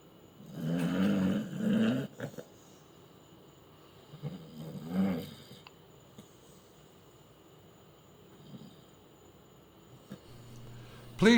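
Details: Ulysses, a pet dog, asleep indoors and snoring: low rumbling snores in slow breaths, two close together near the start and another around four seconds, then quiet breathing and a brief knock at the end.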